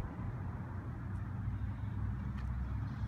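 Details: Steady low engine rumble of a passing vehicle fills the recording, with no animal voice present.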